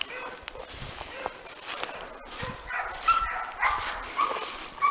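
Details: Italian hounds of the Segugio Italiano breed working a hare trail in training; a few short, clear tonal bays ring out late amid faint distant cries and rustling outdoor background.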